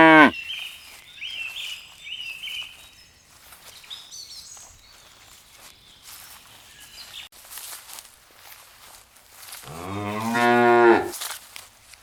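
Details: Cows out in a meadow pasture looking for food; a brief moo tail opens, then quiet with chirping birds and faint rustling before one strong, low, wavering moo of about a second near the end.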